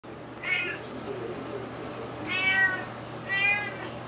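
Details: Juniper, a pet cat who has smelled salmon and wants food, gives three harmonic meows spaced about a second apart over a faint steady indoor hum.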